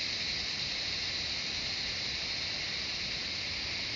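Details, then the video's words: Cicadas in Nepal's Shivapuri Nagarjun National Park, in jungle near Kathmandu, keep up a loud, uniform, high buzzing hum from many insects at once, steady from start to finish. "Cicadas singing the jungle of Shivapuri Nagarjun National Park, surrounding of Kathmandu City Nepal"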